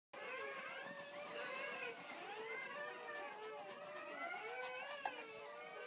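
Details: Newborn Great Pyrenees puppies crying while their mother gives birth, a dense overlapping chorus of thin, arching squeals and whines with no pauses, steady loudness throughout.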